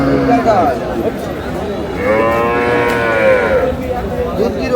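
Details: Long, steady moo from a cow with her calf at Aftabganj market in Dinajpur, April 11, 2026, swelling for about two seconds mid-clip. A busy livestock market hums behind, with people haggling over prices.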